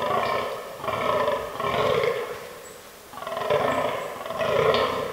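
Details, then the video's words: Autumn rut of fallow deer in woodland: four rasping, low grunting groans, each lasting under a second, separated by short silences, with a faint high chirp in the background. "Fallow Deer Rut 2022"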